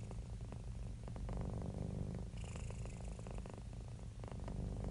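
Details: Happy, relaxed domestic cat purring: a steady low rumbling purr with pulsing waves of breath, louder and softer in turns, close to the listener with no other sounds.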